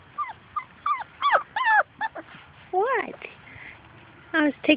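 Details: Labrador Retriever puppies from Grace and Sam's litter playing outside and chasing their mother: a run of high, whiny yips and whimpers, each bending down or arching up in pitch, coming in quick bursts, with a woman talking nearby.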